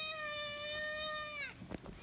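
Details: Pet cat answering its owner after being asked if it wants something: a long, steady, tonal meow held for about a second and a half, dropping sharply at the end, followed by soft rustling.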